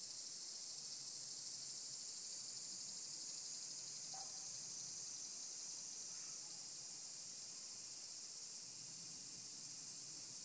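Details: Cicadas of various kinds, higurashi included, droning in mountain woodland. A continuous sizzling high tone fills the recording from start to finish, steady in loudness, with almost nothing else heard.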